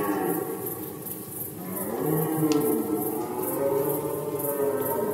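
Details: Rutting red deer recorded in Poland during the 2020 rut: layered, groaning tones hold and waver through the clip, with a slightly louder bellowing swell after two seconds over constant high-pitched background noise.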